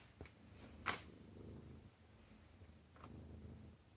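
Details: Domestic cat rolling about on indoor stairs, kept inside the house because of cold weather; a soft, low purring rumble runs through most of the clip, broken by a few sharp taps and clicks.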